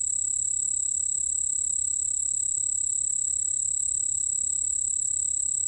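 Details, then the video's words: 흰수염방울벌레, a cricket recorded for the National Institute of Biological Resources in 2020, giving a continuous, high, ringing trill with an even, steady pulse and no pauses. "흰수염방울벌레, 1번 듣기, 곤충소리"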